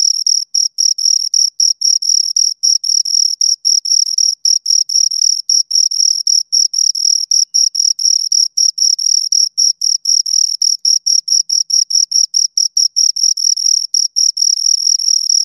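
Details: Two crickets keep up a continuous high chirping, rapid pulses packed closely for fifteen seconds with only brief breaks, the pitch constant throughout and no background noise.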